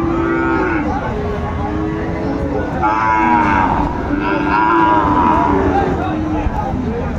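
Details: Sahiwal breed bull calves at Aftabganj haat, a livestock market, on 4 May 2024. Repeated low, drawn-out lowing swells and fades several times over seven seconds, with faint crowd noise behind.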